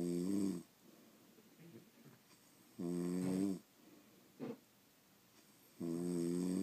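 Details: Sleeping pet French Bulldogs, several in the house, give deep rumbling snores with layered harmonics, spaced a few seconds apart, with a brief snuffle between two snores and a quiet room otherwise.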